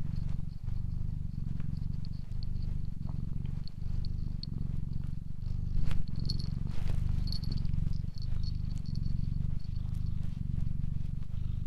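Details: Steady low purring of a cat, rhythmic inhale-exhale rumbles repeating about every second, accompanied by faint high-pitched twittering tones in the background.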